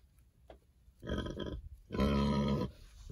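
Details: Berkshire pigs on a farm enjoying treatment for external parasites before winter; two hoarse, harmonic-rich grunts about a second apart, the second longer and louder, with quiet surroundings.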